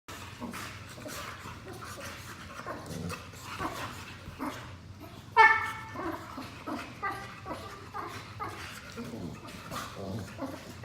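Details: Two pet Boxers play-fighting on a couch indoors, tired from chasing each other; rough, throaty growls and grumbles repeat throughout, with one louder harmonic yelp-like bark near the middle, plus rustling and panting.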